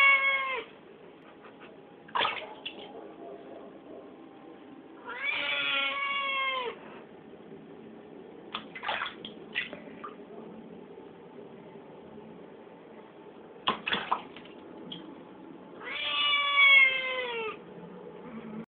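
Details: A Siamese cat being bathed gives long, loud, drawn-out meows that slide downward at the end, with water splashing between.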